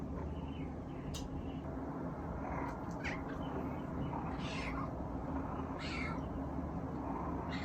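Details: Eve, a male Munchkin kitten with round eyes, left home alone and filmed on an iPhone, gives short faint high meows spaced a second or two apart over a steady low indoor hum.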